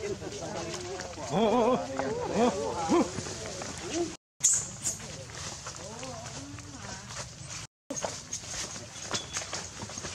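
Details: Baby monkey Leo begging its mother for milk, crying from hunger; a cluster of quavering, arched whines in the first three seconds, then softer rustling and handling noise with cut breaks.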